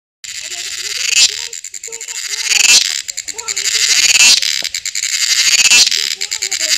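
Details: A cicada in Wayanad, Kerala, gives a loud, high, rasping buzz that swells and breaks off in repeated surges about every second and a half.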